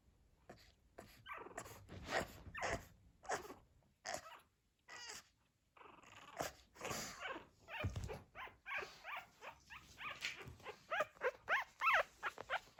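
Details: Fourteen-day-old pug puppies starting to walk and making little low noises: a busy series of short squeaky whimpers and grunts, quickening into rapid yips near the end, with rustling movement.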